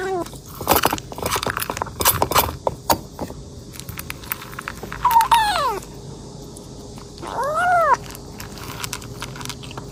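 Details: Kitten eating voraciously: clattering and chewing sounds at first, then two short arched meows in the second half.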